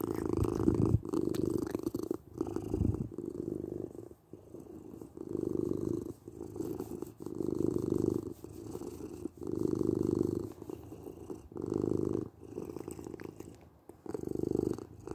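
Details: Long, rhythmic purring by a domestic cat, a deep buzzing rumble that swells and fades with each breath, loud phases repeating roughly every two seconds.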